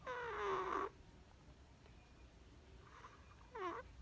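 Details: Perchik, a Chihuahua puppy who loves to sleep, snores in a quiet room on 12 October 2020. A near-second-long whistled, falling snore opens, then a shorter squeaky rising-falling one follows after a faint pause.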